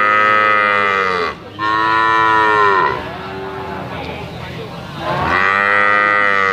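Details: Young Limousin cattle up for sale low loudly, two drawn-out harmonic moos with a quieter, lower bawl between them, each call swelling at the start and sagging in pitch as it fades.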